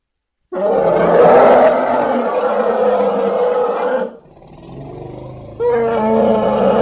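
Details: Elephant giving a loud, harsh, harmonic roar held for about three and a half seconds, fading into a quieter growling stretch, then a second loud blast near the end.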